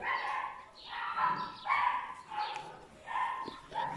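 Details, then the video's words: Puppies from a litter give high, wavering whines in four or five drawn-out bursts, each swelling and fading about every second, with harmonics stacked above the main tone. "Chiots de my black butterfly et bayleys"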